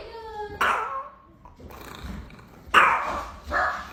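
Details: Dog starting with a brief high whining tone, then one abrupt bark, a lull, and two more gruff barks in quick succession.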